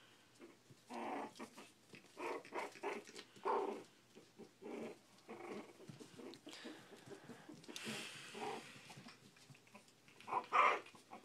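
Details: Four-week-old Shih Tzu puppies indoors, eating and playing: a run of short, rough growling bursts roughly every half second, with a sharper yelp near the end and people talking in a small room.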